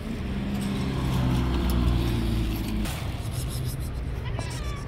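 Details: Angry white stray cat on the street lets out a low, steady, droning growl lasting nearly three seconds, then falls quiet while constant urban traffic noise continues underneath.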